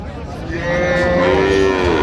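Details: At Raniganj market in Dinajpur on 26/11/25, among improved-breed milk cows and calves, one loud sustained moo starts early and stays level and strong to the close, with only faint market noise behind it.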